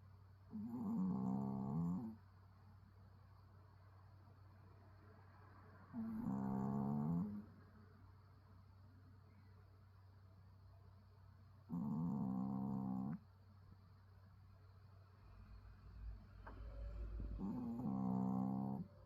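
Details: Pet dog snoring indoors, sounding almost human; four rhythmic snores, each a drawn-out harmonic rasp of about one to two seconds, repeating roughly every five to six seconds over a steady low room hum.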